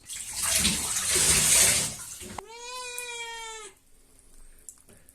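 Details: A Devon Rex cat being washed gives one drawn-out, fairly steady meow after a burst of running water.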